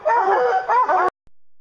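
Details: Hounds on a bear hunt baying together, several overlapping drawn-out, wavering howls that rise and fall for about one second before cutting off abruptly into silence.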